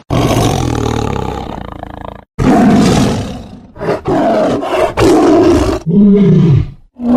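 A tiger gives deep, rasping roars in several long bursts with short pauses between.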